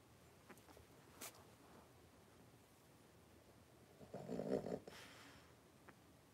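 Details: Playful wrestling among five blenheim Cavalier King Charles Spaniel puppies, three weeks old, in a home puppy pen; a brief low rough growling grumble about a second long amid soft scuffling and pawing noises.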